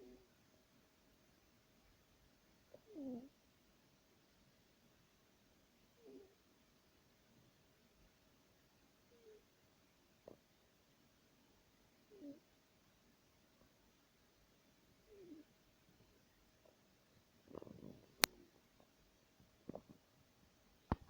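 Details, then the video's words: A sleeping cat snoring softly, each breath a faint raspy rumble repeating about every three seconds, in a quiet room. "Snoring Cat"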